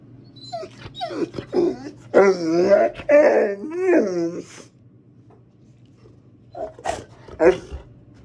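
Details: A male Rottweiler reacting to his sister shown on a computer screen, apparently disliking it, gives a run of wavering, moaning whimpers and grumbles over about four seconds, then short whines and sniffing.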